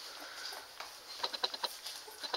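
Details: Fat, happy Standard Poodle puppies feeding from their mother, June 5th, 2014: faint suckling patter, then a string of tiny high squeaks at an even pace over about a second, indoors.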